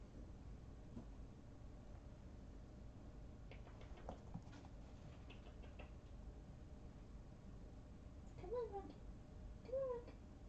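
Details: Three young kittens, born in a trailer park colony, snuggling together and purring: a soft, steady low rumble throughout, some rustling and scratching of fur or bedding midway, and two short wavering mews near the end.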